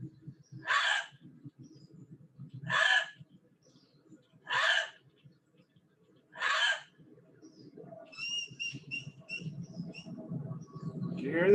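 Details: An urban gray fox gives four harsh, raspy, not-quite-bark calls about two seconds apart, then faint, high, repeated whistled notes. Gray foxes use this whistle more often than the bark.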